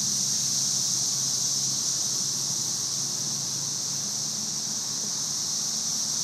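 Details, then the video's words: Massed cicadas from the May 2011 invasion, up in the trees: a constant sizzling drone, smooth and continuous like static, with a soft low murmur beneath it. "Cicada "Music" May 2011"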